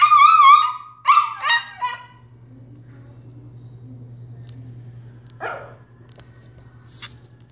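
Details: Pet dog howling in reaction to a recorder being played: a wavering, tonal howl with rich harmonics in the first two seconds, sliding down at the end, then a quieter falling whine near the fifth second over a low steady hum.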